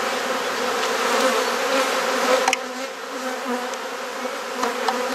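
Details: Dense, continuous buzzing from honey bees as their hive is opened and inspected in a garden in Perth, Australia; the hum swells slightly, with a few sharp taps of frames being moved.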